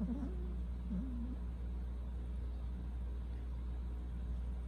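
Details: Persian cats, a pair of brothers kept as pets, heard at night: two short, low wavering meows or trills in the first second and a half, then quiet over a constant low indoor hum.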